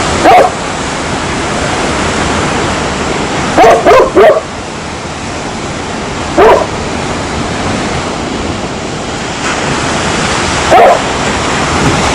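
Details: Dog barking: single sharp barks at irregular intervals, with one quick run of three near the middle, over a steady hiss like surf or wind throughout.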